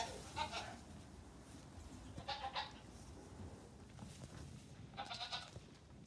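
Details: Nigerian Dwarf goat kids, among 48 on a farm aged three days to two weeks, let out in pyjamas one morning while their mothers eat grain; three short, faint wavering bleats rise over a steady low background rumble.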